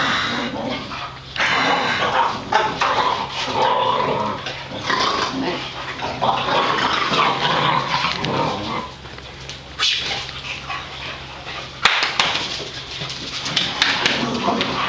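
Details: Boxer dogs, household pets, roughhousing on a Sunday after being wound up: continuous raspy growling and snorting with quick grunts, a short lull near the middle, then sharp knocks and renewed growls.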